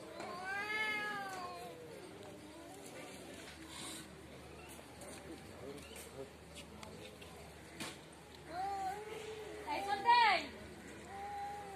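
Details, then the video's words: Cats fighting in front of a house: a long wavering yowl opens, rising then falling with rich harmonics. Quieter murmurs follow, then a second drawn-out howl rises near the end and breaks into a sharp squeal. "cat fitting l বাড়ির সামনে বিড়াল এর jhokra"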